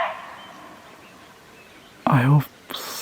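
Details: A barking deer (muntjac) gives a single short, hoarse bark after a quiet stretch. It is in the forest near a remote Himalayan village in Uttarakhand, and the call is taken as a sign of possible leopard movement nearby.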